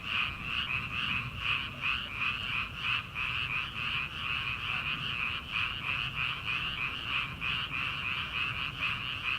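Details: Rice-paddy frogs in early summer, before rice planting, croaking together: steady high, throbbing pulses repeating about three times a second with no other clear sounds.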